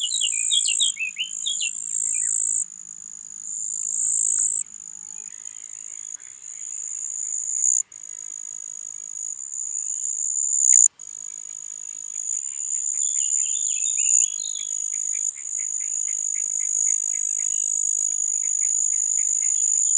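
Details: Singing marsh cricket (Pteronemobius heydenii), Puntigam, Austria, June 4, 2022. A high-pitched, sustained buzzing trill runs nearly throughout with small gaps. Bird twitters and quick chirp series sound in the background.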